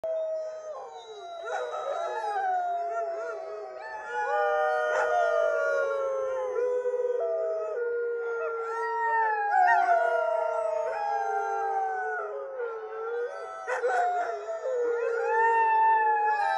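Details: Several huskies in Alaska, 5 October 2022, howl together in long, wavering tones that slide up and down and overlap.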